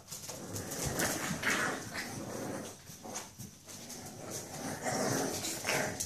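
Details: Puppies playing indoors in a small room: a busy jumble of short yips, whines and growly vocal bursts rising and falling irregularly, with scuffling and movement noises throughout.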